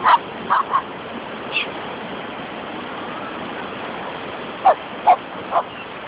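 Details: Several poodles having fun on a beach bark in two short bursts: three quick yaps at the start, then three more near the end, with constant wave noise throughout.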